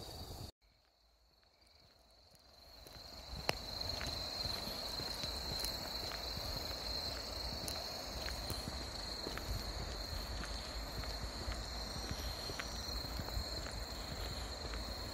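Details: Grass insects by the Deudeul River at Nampyeong in late September: a steady high ringing drone in layered pitches, with a softer shimmer above it and scattered sharp ticks, after a short quiet start.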